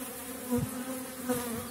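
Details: Honey bees at an April apiary with small-cell (4.9 mm) colonies during dandelion bloom; a constant buzzing drone with two brief louder swells as individual bees fly close past.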